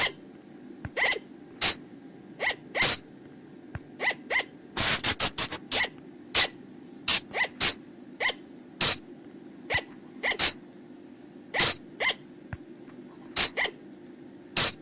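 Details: Night lure call of the flying lemur: sharp, hissy shrieks repeated irregularly through the recording, a dense cluster near the middle, plus softer short rising notes over a persistent low hum.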